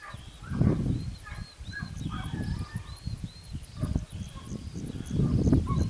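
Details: Italian Segugio hunting pack at Sofiko in Evros, June 12, 2021, giving far-off curved, drawn-out yelps that repeat in quick succession, layered over thumping low-frequency noise and handling sounds.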